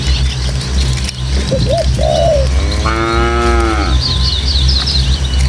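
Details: Village cattle trekking as a herd over countryside paths to their shed let out one long, steady lowing moo near the middle, preceded by short bird calls and trailed by high twittering, all over a soft breezy rumble.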